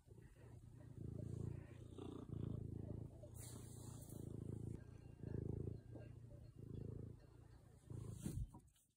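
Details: Low, steady purring from a cat in the Swiss Alps, recorded in 2021: rhythmic rumbling pulses alternating with short pauses about every 1.4 seconds, ending with a sharp rustle and fade.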